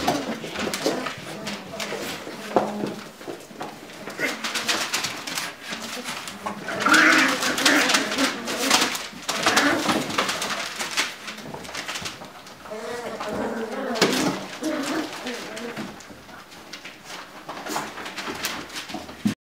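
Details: Lagotto Romagnolo puppies scuffling together in their puppy pen indoors: a busy run of soft whines, grunts and short squeaky yelps, rising and falling in bursts, with thuds of movement and a faint human voice at times.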